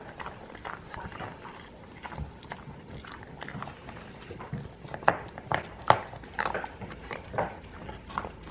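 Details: Pet dogs gnawing alligator-shaped chew treats on a rainy day; repeated crunchy, clicking bites come in uneven bursts, with a few louder cracks near the end and faint room sound.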